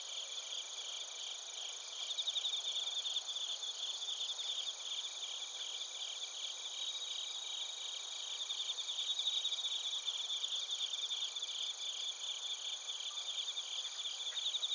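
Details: A steady night-time-style insect chorus of bell crickets and crickets from Narita, Chiba Prefecture, Japan, recorded on a TASCAM Portacapture X8. High-pitched pulsing chirps and continuous shrill ringing run without pause, with gentle swells in loudness.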